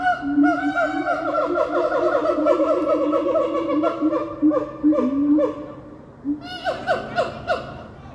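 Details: Siamang family chorus, calling together in loud, overlapping honking barks that rise and repeat rapidly; siamang calls can be heard for two miles.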